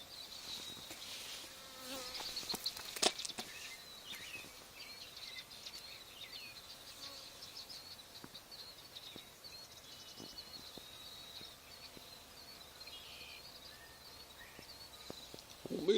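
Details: Honey bee swarm settled on the wall of an old barn, two days after another hive was cut out there; a steady, faint, hissing hum runs throughout, broken by scattered soft clicks and taps and one sharper knock early on.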